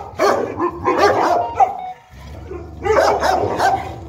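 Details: Enzo and Diva, a male and female Boerboel in Egypt, at play; clustered gruff barks and a few yips, then a quieter stretch with low rumbling before barking resumes.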